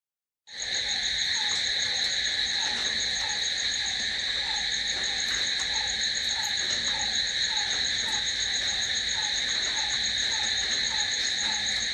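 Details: Night chorus of crickets: a steady, dense high-pitched trill and ringing shimmer held throughout, with a softer falling chirp repeated roughly every half second underneath.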